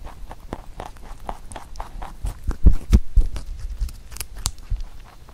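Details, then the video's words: A pet rabbit named Huchu eats a carrot songpyeon made for Chuseok, indoors; rapid crunchy bites and chewing clicks come about four per second, with a few louder thumps midway. "토끼 후추의 당근송편 먹방 ASMR / Rabbit eating sound with Carrot SongPyeon"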